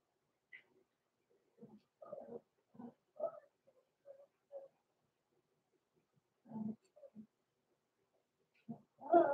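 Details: Overnight in an indoor puppy pen at Red Barn Cavaliers, six-week-old blenheim Cavalier King Charles Spaniel pups Roman and Blue give bursts of short, low, grunting whimpers, a quiet pause, then more whimpers ending in a louder cry.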